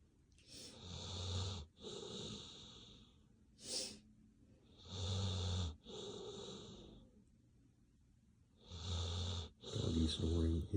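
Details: Bailey, a pet dog fast asleep, snoring in a quiet room: rough, wheezy breaths in bursts of about a second, coming in slow pairs with short silent gaps between them.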